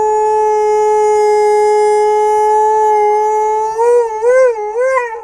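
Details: A male Alaskan Malamute gives a long, steady howl that breaks into wavering, warbling notes at the end; he seems to love the sound of his own voice.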